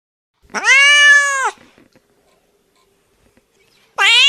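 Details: Domestic cat giving a long, steady, drawn-out meow lasting about a second, then a second meow starting abruptly at the end; quiet room between calls.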